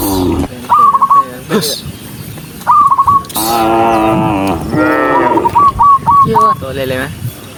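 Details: Tame cattle walking in a vast herd of tens of thousands give loud, harmonic moos, one long and steady, another shorter, between runs of rapid chirping notes and brief clicks.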